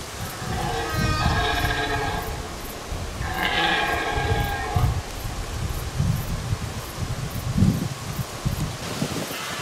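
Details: Solitary red deer stag calling loudly during the rut on Hiiumaa in 2019: two drawn-out, strongly harmonic moaning calls, then rustling and low rumbling noise.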